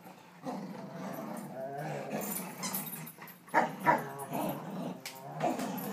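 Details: Two dogs growling during a tug-of-war game, a 1.5-year-old Rottweiler and a 5-year-old Rhodesian ridgeback, chow and vizsla mix, recorded July 18, 2012; rough, rumbling growls with louder snarling bursts near the end, and a person speaking between them.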